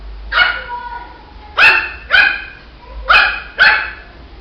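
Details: Puppy Shih Tzu gives five high-pitched yaps in pairs, each bark short and ringing with a slightly falling tone, separated by brief quiet gaps.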